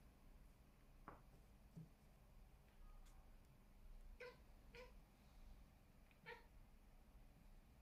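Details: Ginger cat sitting by a window, watching birds, gives three short, quiet chirping calls with a ringing harmonic tone, spaced roughly half a second to a second and a half apart, after a few faint clicks and rustles.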